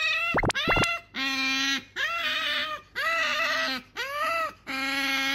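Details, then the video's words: Sakura, a female pet otter, begs for an item her owner holds. Two quick high sweeping squeaks open the clip, then long harmonic whining cries, each about a second long, repeat in steady succession with brief gaps, indoors. "いらないって言ったのに飼い主が持ってると何度でも欲しがるカワウソ Otter want it as often as their owners have it."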